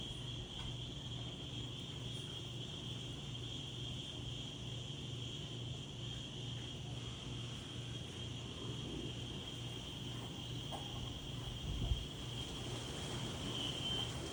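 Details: Insects calling in daytime outdoors with gentle wind: a steady, unbroken high-pitched ringing drone holds at one pitch throughout, over a low, soft rush of wind and faint rural background noise.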